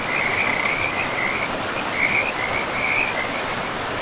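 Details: A high, quickly pulsed frog trill rises and fades in several bursts beside a river in a moss-covered pristine forest, the constant sound of running water filling the background.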